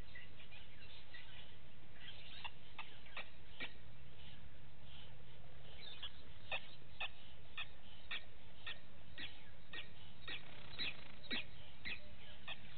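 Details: Vervet monkeys in the morning at Gowrie dam waterhole, Djuma Game Reserve, Sabi Sand Wildtuin, South Africa, caught on a live waterhole camera: faint, irregular short falling chirps, about two a second, over a steady low rumble.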